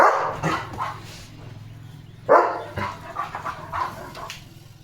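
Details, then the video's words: Evening: a German Shepherd on alert as a bullock cart approaches gives one strong, harsh bark amid softer scattered barks, over a low steady rumble and background murmur. "The German Shepherd Goes CRAZY Barking!"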